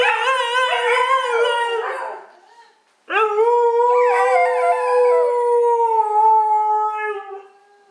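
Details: Siberian husky Mishka howling, apparently to steal the spotlight: two long tonal howls, the first wavering and fading after two seconds, the second starting sharply and holding a steady, slightly falling pitch with rich harmonics before tailing off.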